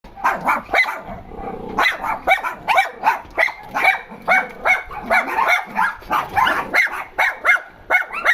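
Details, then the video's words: Dogs complaining about something, giving a steady run of short, high, whiny yelping barks that rise and fall in pitch, pulsing roughly several times a second with brief gaps between bursts. "Dogs complaining about something"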